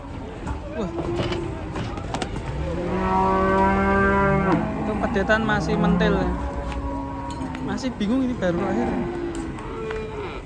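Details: Raging cattle bellowing: a long, loud, strongly harmonic moo of about two seconds, then shorter wavering lowing calls, over steady background noise.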